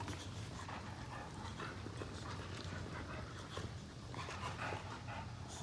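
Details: Pair of Boxers in lazy play on a sofa, tired from running around. Continuous heavy panting dominates, broken by short whimpery huffs and rustling movement, with a constant low indoor hum beneath.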